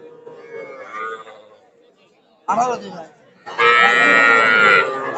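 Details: Cattle at a Narail market in Bangladesh, 18 May 2024, among small bulls and heifer calves for sale. A man speaks briefly, then a loud drawn-out moo follows and lasts a little over a second, with market chatter around.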